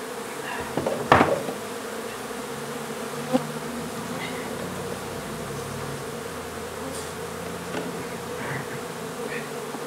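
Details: A honey bee hive being removed from a renovated old home in Donna, Texas. A constant colony buzz holds steady beneath sharp knocks and taps from the removal work, the loudest knock near the start.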